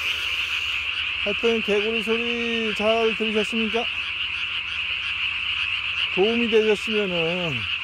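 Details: Japanese tree frog at night, 3 May 2020, vocal sac under the jaw inflated to body size; a quick string of harmonic croaks with a longer drawn note, then a pause and a final falling series, over a persistent high background tone.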